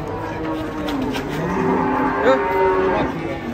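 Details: Agitated giant cow unloaded from a truck in the morning, scaring onlookers, gives a deep, sustained, slightly wavering moo while people chatter in the background.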